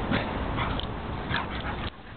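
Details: Two dogs playing, a foster dog rolling a Basset Hound around; scuffling with short yips and grunts across the clip, low thuds, and a woman's voice nearby.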